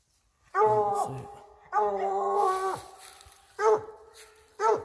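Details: English Bluetick Hound treeing a squirrel at a den tree, loud harmonic bawling howls: a longer drawn call, then a long sustained bawl, then two short sharp chops, in a quiet outdoor setting.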